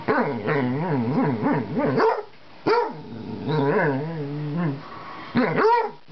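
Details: A Basset Hound begs for another pet's friendship, giving wavering, whining howls that rise and fall in quick, talkative bursts.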